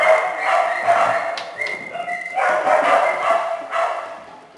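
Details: Small dogs and puppies in a shelter kennel: a busy chorus of overlapping barks and high yips from several animals at once, with steady squeaky tones running through the racket.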